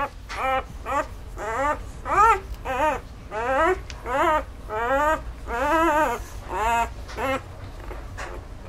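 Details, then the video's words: One-week-old labradoodle puppies from a litter of nine, born to a black Labrador mother and a standard poodle father, whining and squealing indoors: rising-and-falling nasal cries repeated roughly every half second, several pups overlapping. "One Week Old Labradoodle Puppies"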